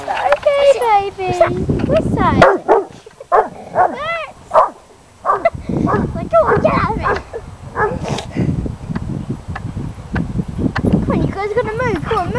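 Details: Male Weimaraner barking a lot at a stunt kite in a local park, wary of it; rapid clusters of ringing, high barks and yips with pauses between bouts, human voices mixed in.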